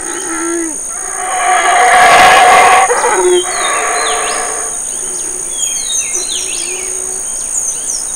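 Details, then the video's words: Black howler monkey male in Belize's Community Baboon Sanctuary, family feeding nearby. One loud, raspy roaring burst in the middle, then quieter grunts while birds chirp sharp, quick notes over a continuous insect hum. "Black Howlers of Burrell Boom, Belize"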